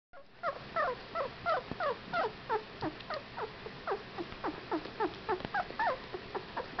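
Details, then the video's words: Whippet puppies, 15 days old, give a rapid run of short, high, downward-sliding squeaks and whines, several animals overlapping, about three calls per second with no steady rhythm over a quiet background. "Whippet Puppies!"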